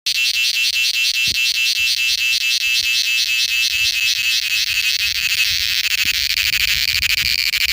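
A cicada sings a loud, high, grating buzz that never lets up. The sound throbs with a fast, even pulse and holds at the same strength from start to finish.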